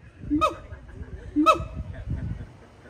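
Two sharp, nasal, honk-like siamang calls ring out about a second apart, each bright and rich in overtones. Between them a faint low rumble of background noise continues.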